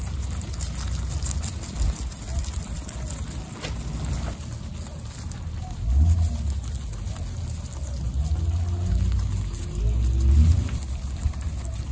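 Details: Steady low rumbling noise, like wind or an engine, with faint speech in the background and no animal calls.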